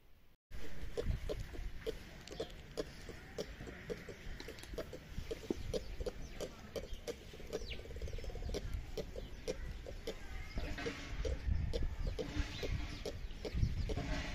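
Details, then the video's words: Ring-tailed lemur (Lemur catta) in captivity at Tierpark Ströhen, giving a steady run of short, low clicking grunts about three per second, with soft murmuring underneath and faint background hiss. "Die Laute des Kattas - ( Lemur catta )"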